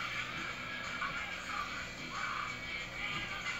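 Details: Continuous music fills the room, with no animal sound standing out.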